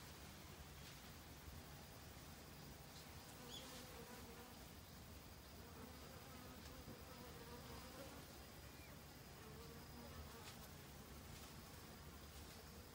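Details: Honey bees in autumn, busily foraging for food to last the winter; a steady low droning hum of many wings with layered tones, continuous throughout, with faint rustling in the background.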